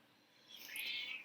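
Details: A big black-and-white British Shorthair cat gives a thin, high meow in the background indoors, rising then trailing off.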